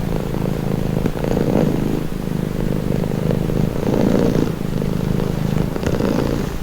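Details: Domestic cat purring in slow cycles, each breath bringing a louder rumbling swell lasting one to two seconds, steady and calm with no background sounds.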